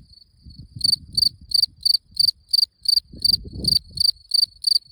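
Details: A cricket starting with a thin trill, then sounding clear high chirps in quick succession, about three each second, while low rustling noise comes and goes beneath.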